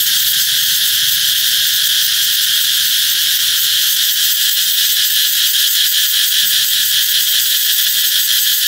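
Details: Summer-announcing cicada song: a powerful, continuous high-pitched whirring hiss with a faint throbbing pulse, steady throughout with light low background noise.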